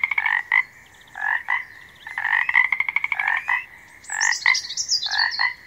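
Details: A frog croaks in loud, rough pulsed bursts, some drawn into rattling trills, spaced about a second apart, while a bird sings high whistled phrases in the background.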